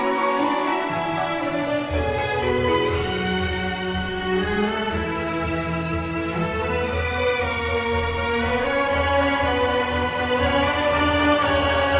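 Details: Sad orchestral music with violin carries throughout, and no animal sound is present.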